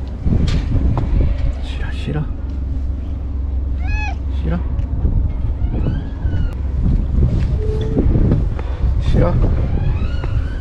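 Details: White stray cat on a seaside breakwater meowing at the person who feeds it; a single arching, rising-then-falling meow midway, amid a woman's chatter and a constant low roar of wind and waves.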